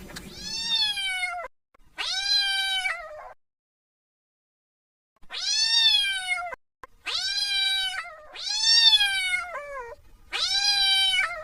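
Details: Kitten calling for its mother: loud, drawn-out meows with rich harmonics, each rising then falling slightly, in two pairs separated by a long silence, about one second apiece.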